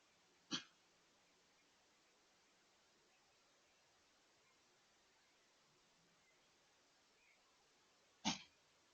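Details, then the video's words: White-tailed deer with a sneeze attack: two sharp, explosive breathy bursts about eight seconds apart, with a faint steady hiss and near silence between them. "Whitetail With a Sneeze Attack"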